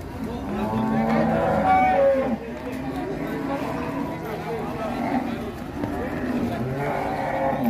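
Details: Bellowing from an agitated sacrificial cow at Siyono Harjo market during unloading from a truck, a couple of strained moos half buried under loud crowd voices and commotion.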